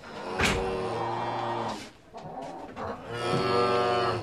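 A cow gives two long, low moos, the first about a second and a half, the second rising and swelling near the end, with a soft grunt between.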